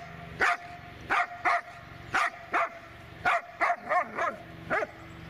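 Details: Dobermann Magmar Von Der Burgstätte barking in a steady volley, about nine sharp, loud barks in five seconds with short, uneven gaps, each bark bright and clipped against a quiet background.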